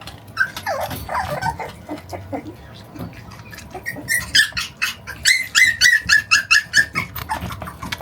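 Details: Forty-one-day-old Shiba Inu puppy tugging against its owner in play. Squeaky whines give way to a fast run of short, high, nasal yelping growls, about two a second, over soft rustling and handling noise.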